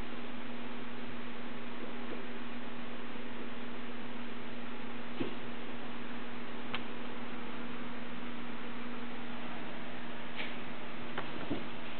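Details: Steady hiss and a low hum with a few faint clicks; no animal calls are heard. No clear animal voice rises above the background.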